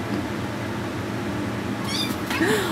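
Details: Domestic cat squaring off against a kitten in a play fight: a short harmonic cry near the end, with a brief meow-like yowl, over steady indoor background hum and a person egging them on.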